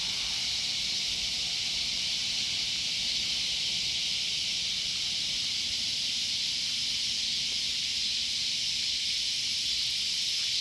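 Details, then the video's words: Loud cicadas in a sunflower garden, a steady, unbroken high buzzing drone that holds evenly for the full ten seconds with no pauses, with faint low rumble beneath. "Loud cicadas"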